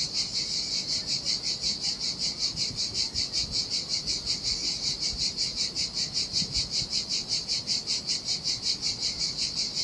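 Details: In the heat beside the Sardinian sea, cicadas sing a loud, high rasping drone that swells and fades in very regular beats, close to three per second; surf barely audible.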